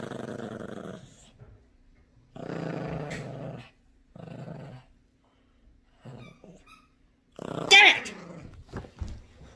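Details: Yorkshire Terrier puppy Gracie growls over her new squeaky toy during tug-of-war indoors, protective of her toys; short growling bursts with gaps, then a sharp high squeak near the end.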